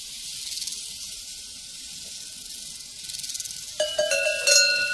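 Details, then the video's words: Crickets on a prairie pulse in fine rapid high chirps, then loud metallic cowbells clang twice near the end, ringing over the insect chorus. "Sounds from a Prairie Crickets and Cowbells"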